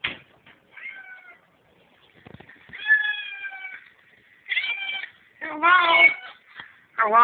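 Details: Domestic cat meowing back and forth with its owner in a hallway, recorded on a cell phone; a series of drawn-out, wavering meows, some rising and bending, alternating with a person's voice saying hello.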